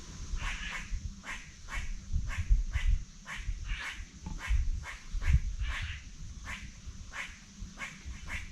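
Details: A squirrel near an apple tree in early-autumn forest at Sterling Nature Reserve on Lake Ontario, Cayuga County, New York, gives a steady run of sharp, husky barks, two or three a second, apparently arguing with another squirrel.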